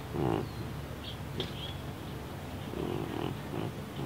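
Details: A deaf house cat named Baby, who has neurological and breathing problems, snorts like a pig while awake; a short, rough snort opens, then a faint lower breath follows near three seconds amid soft hiss.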